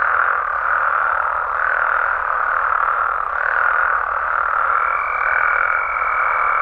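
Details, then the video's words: Massed croaking of Mexican frogs and toads after dark, a steady chorus swelling in loose pulses about every second or two, with a long, even high trill beginning near the end. "Mexican Frogs & Toads Sounds"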